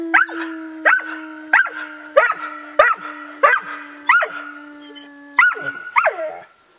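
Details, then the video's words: Ben, Ludo and Tina, three dogs making a right noise: a held howling tone runs beneath sharp barks repeated roughly every two-thirds of a second, about nine in all. "The howling"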